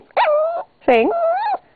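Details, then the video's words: Yorkie-papillon cross dog howling when asked to sing: two short tonal howls, each about half a second, the second with a brief upward bend, while the owner's voice repeats "sing" around them. "My Dog Lola is one singing BITCH! Woof!"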